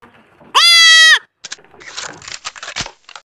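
A young goat gives one loud, high, steady bleat to call its siblings, followed by rustling noises.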